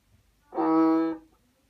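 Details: Banded bullfrog. A banded bullfrog calls once: a low, droning bleat with a rich, reedy tone, held steady for about half a second. It rises sharply, then fades quickly into near silence.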